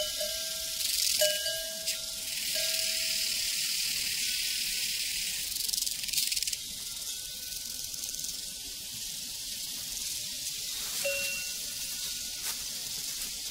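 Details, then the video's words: A steady, high shimmering chorus of crickets on a prairie, with cowbells clanking several times over it: ringing tones early on, a pause, then more bell strikes toward the end. "Sounds from a Prairie Crickets and Cowbells"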